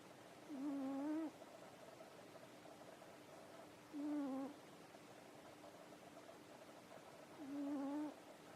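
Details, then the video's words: Pet cat snoring while asleep after eating dinner and tiring itself out playing: soft low rasping breaths repeating roughly every three and a half seconds over a quiet hiss. "猫柳のいびき - Nekoyanagi's snore"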